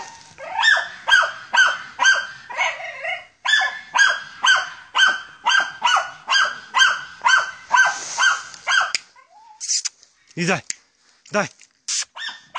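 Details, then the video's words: German Hunting Terrier Ata von Jagdwald working wild boar, giving a steady string of rapid, rasping barks roughly twice a second for nine seconds, then scattered sharper yelps and brief noises. "Deutscher Jagdterrier Ata von Jagdwald(wild boar)"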